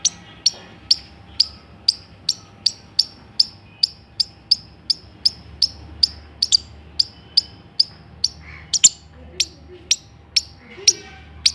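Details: A squirrel calling in a steady series of short, piercing chips, close to two per second and very regular, with a faint continuous hum behind.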